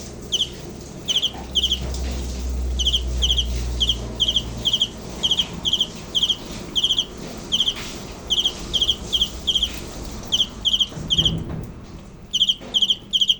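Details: Cricket chirping in short high trilled bursts, roughly every half second to second, over a low droning background with a brief rumble near the start.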